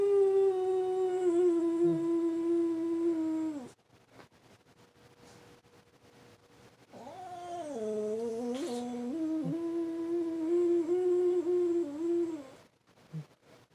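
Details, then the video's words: Frenchton, a French Bulldog and Boston Terrier mix pet that hates the weekly tornado siren, howling along with it: two long wavering tonal howls, the first steady then dropping, the second longer with dips and wobbles, a quiet gap between. "frenchton howls with tornado siren"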